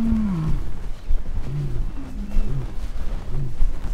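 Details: A lion in an enclosure gives a deep roar that slides downward, then trails off into low grunts about once a second.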